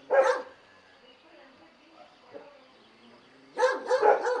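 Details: A dog gives one short bark, then near silence with faint murmurs, then a quick run of three clustered barks at the end.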